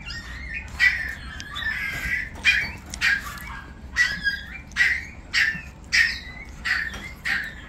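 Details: Several Brussels Griffon dogs, described as easygoing youngsters, giving short, sharp, squeaky yelps in quick bursts, roughly every half second to second, over a steady low background hum.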